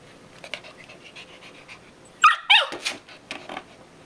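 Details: Dog protesting the crate at afternoon nap time, wanting to keep playing with a toy mouse: two sharp high yelping whines in quick succession, a fainter whimper, then soft scattered sounds over a quiet room.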